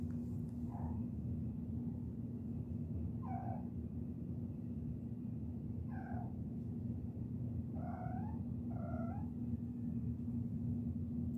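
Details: Kittens chirping, five clear short tonal chirps with rising overtones roughly every two to three seconds, the last two close together, over a continuous low hum.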